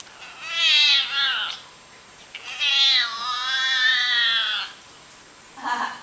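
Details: Domestic cat giving strange calls: a loud bending meow, then a long quavering, high yowl that slowly falls, and a brief final mew.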